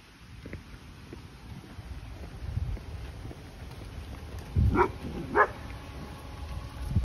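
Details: An Irish Setter chasing birds in a park gives two short, sharp barks close together near the end, over steady wind noise and low rumbling background.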